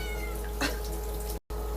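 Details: Small pet cat indoors with a brief, high meow that falls in pitch at the start, followed by a soft thud, over a constant low hum, with a person speaking around it.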